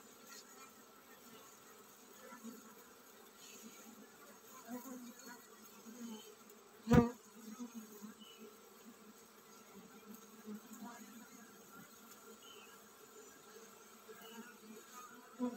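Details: Bees of a honey bee colony about to swarm produce a soft, steady low hum, broken by one sharp loud click or knock near seven seconds.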